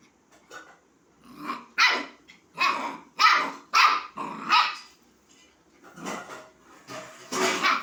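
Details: A puppy inviting a kitten to play gives a run of sharp, high barks, about six in quick succession, then a rougher, noisier stretch of yaps toward the end.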